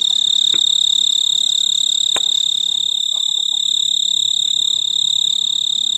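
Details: On a veranda clematis, a male snowy tree cricket, Oecanthus fultoni, trills from a large purple flower to call a mate in mid-August; a continuous, evenly pulsed high chirping runs throughout, roughly three beats per second, with faint clicks in the background.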